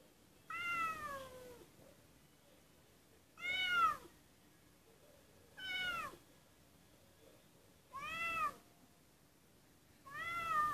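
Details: White kitten named Pufu crying at a door indoors, giving five drawn-out, arching meows at roughly two-to-three-second intervals, each clear and harmonic-rich, with quiet pauses between.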